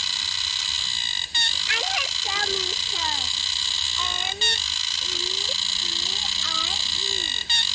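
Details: A green cicada in Bukit Timah Nature Park gives a shrill, unbroken high buzz that fills the air, calling for a mate, with brief dips every few seconds.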